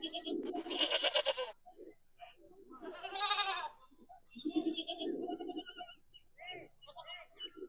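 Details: Herd goats with a kid reacting to playback of goat sounds: rough quavering bleats rise above a steady background of human chatter, with short high chirping tones scattered throughout.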